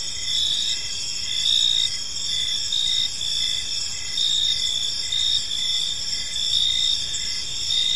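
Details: Gentle evening cricket chorus in a park: several insects trilling at high pitch, steady ringing tone with evenly spaced short pulses, loudness swelling and easing slightly.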